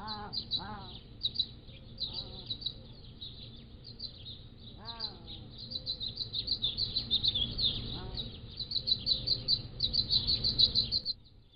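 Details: Motion-triggered trail camera footage of Pallas's cat kittens, 3 to 7 weeks old: several sharply descending, harmonic mews at irregular intervals, set against dense, rapid high chirping from peacocks and other birds that grows busier toward the end.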